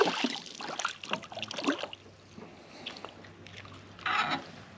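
Water sloshing and splashing with knocks from a small boat, and no animal call.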